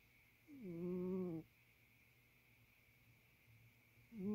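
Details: A male barn cat asleep inside the house gives one droning, buzzy snore lasting about a second, steady in pitch after a slight drop at its start, then quiet breathing, with the next snore just beginning at the end.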